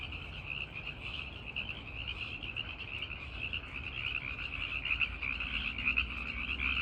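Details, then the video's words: Male tree frogs singing at night to draw in females; many overlapping, high, rapidly pulsed trills form an unbroken chorus that swells slightly toward the end over a faint low hum. "The Sound of Tree Frogs in the Night!"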